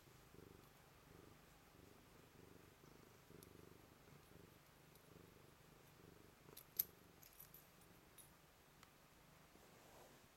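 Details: Blue-eyed white Manx cat greeting with a soft, low continuous purr, rhythmic and steady, with a faint click partway through.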